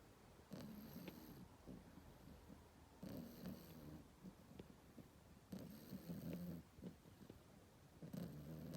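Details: French Bulldog puppy, 16 weeks old, asleep in the morning and snoring: soft, low rumbling snores in slow cycles, four louder breaths roughly every two and a half seconds, quiet indoors.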